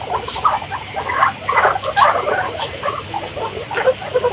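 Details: Soft, scattered squeaks and chirps from guinea pigs, rising and falling irregularly against a quiet hissing background.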